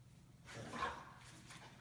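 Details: Dog in a home during an Omaha training session on over-excitement before walks: one short, rough bark swells and fades within half a second over a low indoor hum, followed by a few faint soft taps.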